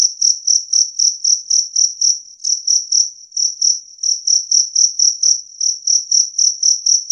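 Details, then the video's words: Two-spotted cricket chirping loud and clear, a steady high-pitched trill broken into short even chirps, roughly four per second, continuing without pause; no other sounds intrude. "Suara Jangkrik Kalung Jernih"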